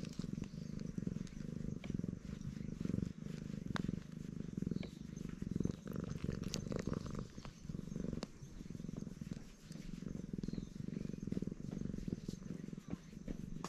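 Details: Loud purring from a black stray cat enjoying being petted; continuous low rumbling purr rising and falling with each breath, soft rustles of fur and handling in the background.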